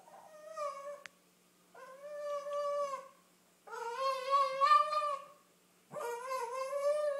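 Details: A Cavalier King Charles Spaniel named Snickers, a female eager to go for a car ride, gives four drawn-out nasal whines separated by short silences.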